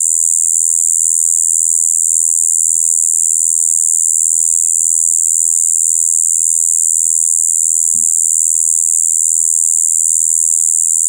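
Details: Shibuiro kayakiri, a katydid that breeds in spring after overwintering as an adult, filmed 2 April 2023. Its steady, monotonous high buzz "bii", a blend of high and low tones, runs without pause; one brief knock near eight seconds, low background hum.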